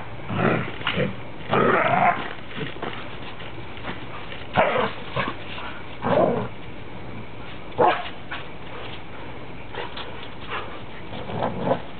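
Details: Standard poodles Indy, Illusion and Oasis play-fighting; rough, throaty growls and grumbles arrive in uneven bursts, the cream dog's voice likened to a grizzly bear, with faint music and occasional human words.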